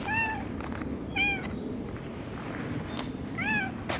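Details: Female boss cat from a park colony, held and stroked on a person's lap, giving three short, soft, rising-falling mews spaced over four seconds against a steady outdoor hiss, 2015.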